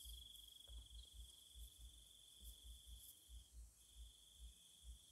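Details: Night insect chorus in Thailand, heard as a continuous high-pitched trill with a thin hiss above. It is quiet and partly masked by soft, regular low thumps about every half second.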